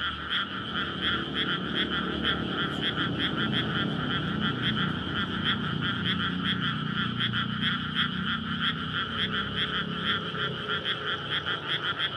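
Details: Frogs calling for courtship in a water-filled rice field at night in May, Japan-style paddy beside a road. Rapid pulsing croaks, around three per second, over a continuous drone, with low rumbling traffic noise beneath.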